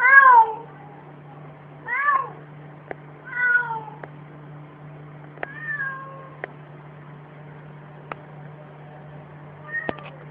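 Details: Domestic cat indoors giving a series of meows: a loud drawn-out falling meow, then several shorter ones spaced about one to two seconds apart, with scattered faint clicks and a steady low hum throughout.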